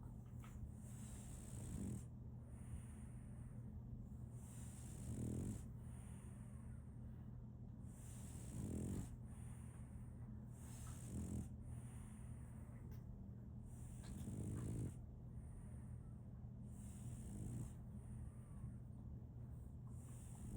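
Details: Female French Bulldog puppy Solaimy snores in her sleep, about six gravelly inhaled snorts recurring every three seconds or so, some louder than others, against a continuous low droning hum and faint hiss.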